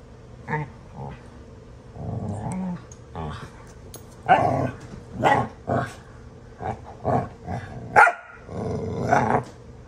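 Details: Pet dogs Astrid and Brielle horsing around and playing rough indoors; throaty growls come in short bursts of rising and falling intensity, broken by brief bark-like yips and snorts, with a person's voice faintly in the room.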